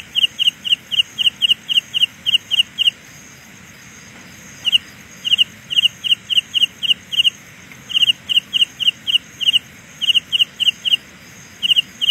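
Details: Carolina ground cricket producing a sound illusion: short high double-pulsed chirps in rapid series, about four per second, with a pause mid-clip before the series resumes, over a steady faint high background hiss.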